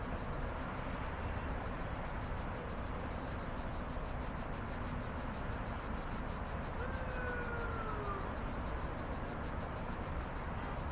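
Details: Nocturnal cicadas produce a continuous pulsing high whine, while a separate drawn-out descending whistle slides downward midway; low rumbling noise persists beneath.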